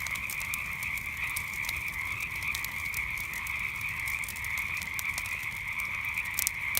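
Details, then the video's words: Dense nighttime frog chorus, a constant shrill drone of overlapping croaks, accompanied by crackling campfire pops that come in bursts, loudest near the end. "Relaxing Sounds of Frogs and Campfire at Night"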